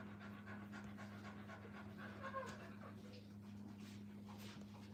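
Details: At a kennel, puppies beside their mother pant in soft, hurried breaths; a brief faint whine rises midway, with a low steady hum underneath.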